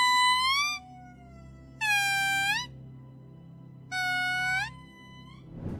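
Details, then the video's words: Indri lemur from Madagascar singing to mark its territory, a song that carries several kilometres: three long, clear, falsetto-like wailing notes, each rich in harmonics and lasting under a second, spaced about two seconds apart, the first rising and the later ones steady. "Лемури Індрі співають, щоб позначити свою територію"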